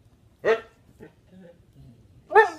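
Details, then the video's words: Husky doing tricks and singing on command, giving two loud, harmonic, wailing 'awoo' bursts about two seconds apart. Softer whines and a handler's quiet coaxing fall between them. "Singing huskies perform incredible dog tricks"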